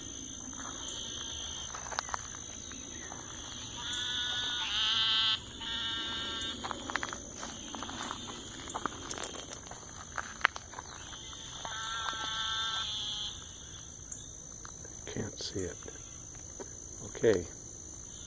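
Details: Several frog kinds calling after dark near 8 p.m. at a lake in Lake Houston Nature Park, Houston, Texas; bursts of rough, harmonic trilling of about one to two seconds recur, backed by steady insect buzzing and occasional knocks.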